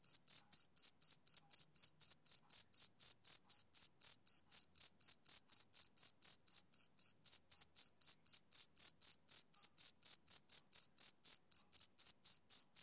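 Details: Male cricket chirping on a summer evening: a steady train of short, high-pitched pulses, about four per second, evenly spaced and unbroken throughout, with no other sounds.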